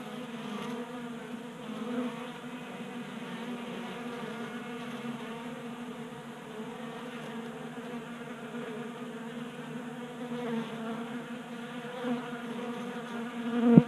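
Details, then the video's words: Honey bees feeding at a 3D printed tabletop feeder in a garage in Colorado in January, active in unseasonal 60-degree warmth; a steady layered buzz of many wings humming low, with a brief louder knock near the end. "Honey Bees Feasting from 3D Printed Bee Feeder"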